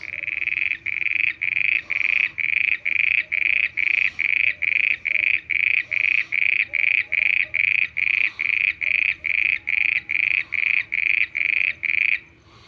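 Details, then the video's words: A frog at night gives a steady series of short, bright, buzzy notes, about two every second. "mendak voice frog 🐸 sounds at night"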